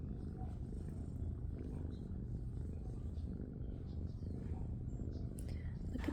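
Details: Tabby shelter kitten, one of a litter of sisters born outdoors under a patio tarp, purring loudly indoors; a continuous deep, even rumble throughout, with faint clicks and a soft voice late on.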